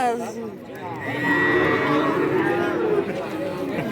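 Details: Cattle at the Kajen cattle market in Pekalongan, Central Java, Indonesia, held every Wednesday; a drawn-out harmonic moo rises over busy market chatter, with voices and crowd noise throughout.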